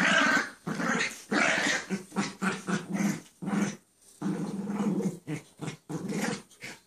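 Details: Playful growls from dogs Chance and Sally wrestling indoors, Chance staying down while playing; choppy run of short, gruff growl bursts and grunts, uneven in rhythm, with brief quiet gaps.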